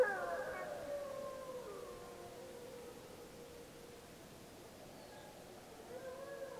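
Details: Snake River pack gray wolves, Summit Ridge, Wallowa County, July 25, 2012, returning a pup's howls: several overlapping wavering howls at the start, fading to quiet, then a new rising howl near the end.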